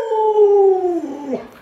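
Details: An Alaskan Malamute named Luoluo, responding to its owner being sick and unable to get up, howls in a clear tone that glides gently downward, then breaks into a brief wobble before fading.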